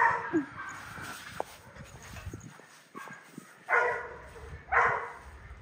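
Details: Male goldendoodle puppy giving two short, bright yelping whimpers near the end after quieter rustling, with faint soft sounds earlier and a low background hum.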